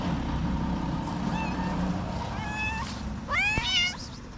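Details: Hungry stray cats on a street in Morocco, fed daily, meowing: a few thin high meows, then one louder rising-falling meow near the end, over steady low traffic rumble.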